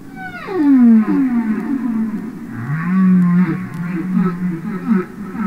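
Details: Humpback whale song recorded underwater by Capitol Records: a loud cry sweeps steeply down into a deep moan, followed by a rising grunt and wavering low groans with buzzy pulsed overtones.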